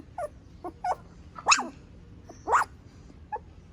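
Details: Pomeranian puppy making brief high whimpers and yips, a few short squeaky notes spaced irregularly, two of them louder, over a quiet background.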